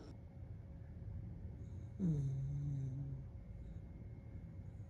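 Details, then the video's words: A gentle, low, steady snore of about a second from Dumpling, a small dog asleep on his back, set against soft low-pitched indoor hum. "Little cute dog snoring 😴 When Dumpling sleeps on his back"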